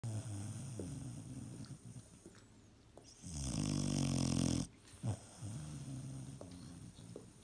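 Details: Vizsla. A Vizsla puppy snores in its sleep, a low rattling rumble rising and falling with each breath. One drawn-out, louder snore stands out midway, followed by softer snuffles in a quiet room.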